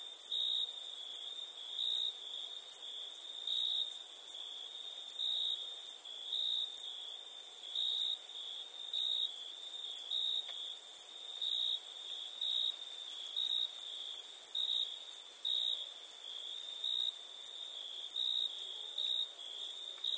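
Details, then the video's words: Chirping crickets at night, forming an unbroken high-pitched trill that rises and falls in strength in slow waves, backed by a faint, higher steady hiss with regular soft ticks. "Relaxing Chirping Crickets"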